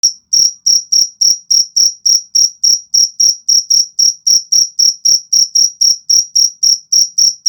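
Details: Cricket kept as a fighting cricket, calling with a steady series of sharp, high-pitched chirps, about three and a half per second, clean and unbroken with no other sounds.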